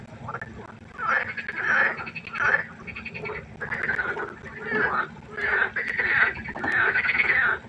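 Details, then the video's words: Frogs croaking at night by a pond: rough, pulsing bursts of about a second each, rising and falling in loudness, follow one another with short gaps, several callers overlapping into a steady chorus. "1 Stunde Froschkonzert. Frosch Geräusche quaken. Frösche Geräusche Konzert"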